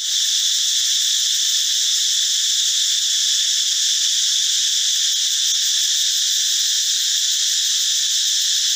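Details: Male cicadas (Meimuna opalifera or Pompania sp.) call loudly in the forest in the morning and sometimes at dusk, a steady, high-pitched droning buzz that never lets up.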